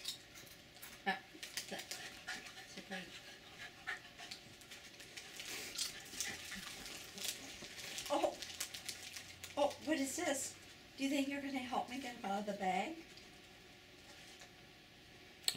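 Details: Two Jack Russell Terriers indoors begging eagerly for potato chips from a bag, the older male most enthusiastic; a run of thin, high, bending whimpers in the second half, with panting, rustling and a woman talking.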